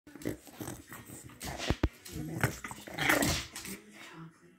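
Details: Two Boston Terriers having an argument at home. Rough low growling and snarling, with sharp yelps and snaps clustered between about 1.5 and 3.5 seconds, then easing off.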